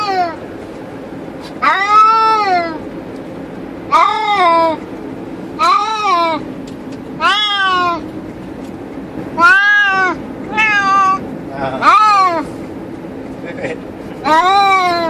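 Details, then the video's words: Pair of cats in a cage inside a car cruising the highway, meowing repeatedly: eight or so rising-then-falling wails roughly every one to two seconds against constant low engine and road rumble. "Cats Make Funny Noise While In Car"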